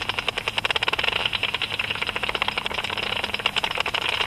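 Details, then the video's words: Japanese pipistrelle (Pipistrellus abramus) flying at dusk; its ultrasonic echolocation, converted by a bat detector, is heard as a rapid stream of dry, smacking clicks. "アブラコウモリ (Pipistrellus abramus) バットディテクター変換"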